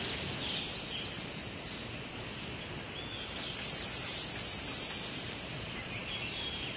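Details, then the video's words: Cicadas singing on a summer day: a steady, high, hissing buzz swells louder for about a second and a half midway, over a constant high-pitched insect drone, with a few faint chirps from birds. "Cicadas Chirping & Singing"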